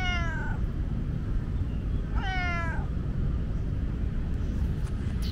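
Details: Talkative tomcat in Lumpini Park giving two loud meows, each a harmonic-rich wail that starts high and slides downward, about two seconds apart, over a steady low rumble of city traffic.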